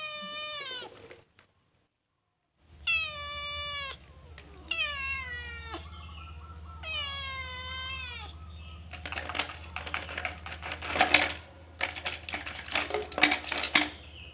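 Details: Calico cat shut in a cage while stealing food, giving four long, bright meows that fall in pitch, spaced a couple of seconds apart over a low steady hum, then loud clattering and rattling from the cage dominates.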